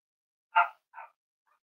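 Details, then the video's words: Cavalier King Charles Spaniel puppy at play with its littermates: one sharp bright bark followed by a softer, shorter yip. "Cavalier Puppies Live: Potty Training, Exploring, Playing with Each Other"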